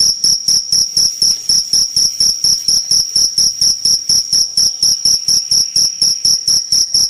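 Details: Loud, vigorous cricket song: sharp, piercing chirps repeated very regularly, roughly four each second, forming an unbroken trilling rhythm.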